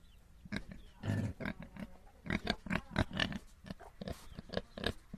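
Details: Little domestic pigs producing continuous deep, rumbling grunts and snuffles, several overlapping in quick succession with a few longer, harsher squeals mixed in.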